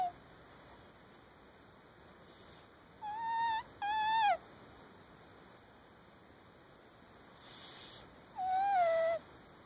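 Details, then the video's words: Domestic cat with sleep apnea snoring in its sleep, with faint hissy breaths and three nasal whistled tones, two close together near the middle and one falling tone near the end. Long quiet gaps between them. "My cat snores."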